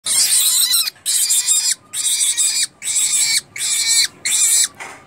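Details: A pet rabbit gives a series of harsh, high, hissing squeals, each under a second long.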